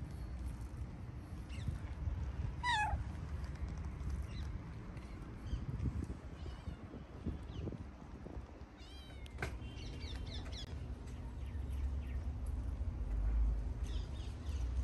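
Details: Tabby stray cat near a music school, sociable and following along while asking to keep playing; a short meow early on, another brief call later, amid scuffling, footsteps and constant low outdoor rumble.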